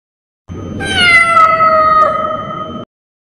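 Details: Cat sound played to scare off rats and mice: a single long, drawn-out meow lasting over two seconds, holding a fairly steady tone with a slight downward drift before ending abruptly.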